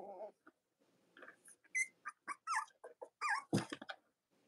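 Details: Young Cavalier King Charles Spaniel puppies, Robin and Myra's litters, indoors: a fast series of bent, wavering squeals and yips, one sliding down in pitch, with a rustling thump near the end.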